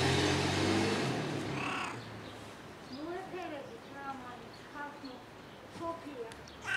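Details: Weird sounds from a cat rolling about on a car: after a burst of human talking, a series of arched, rising-then-falling meows comes at irregular intervals, some short and chirpy, ending in a louder cry.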